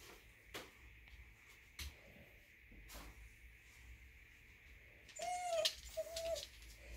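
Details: Minki, a Welsh Corgi, whines on a weekend morning to get its owners to take it outdoors to relieve itself. Two thin, steady whines, each about half a second long, follow scattered knocks and household thumps.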